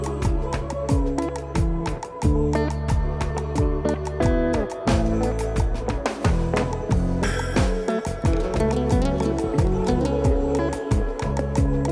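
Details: Rhythmic plucked-guitar music with a steady beat fills the whole stretch, and no animal calls can be picked out.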